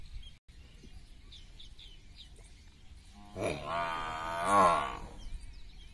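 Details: Water buffalo cow and male buffalo during a mating attempt in a village: after quiet rustling, one long, loud, rich harmonic moo rises and wavers for about two seconds, with faint bird chirps in the background.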